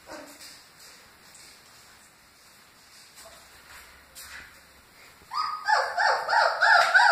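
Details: Great Dane puppies in a litter, quiet at first, then a burst of loud, high whining cries in the last two seconds, overlapping and repeated in quick pulses.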